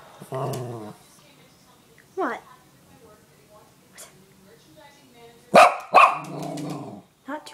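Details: Mya, a Bichon Frise, barking indoors: a pair of sharp, loud barks close together near the end, followed by a rough, growly trailing bark, with a person talking in between at a lower level.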